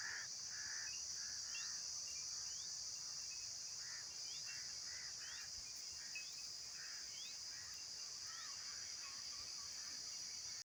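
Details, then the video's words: Insects calling: a steady, high-pitched shrill drone holds unbroken for the whole stretch. Faint short bird chirps and quick rising whistled notes are scattered through it, over quiet outdoor background. "Insects Making Sounds"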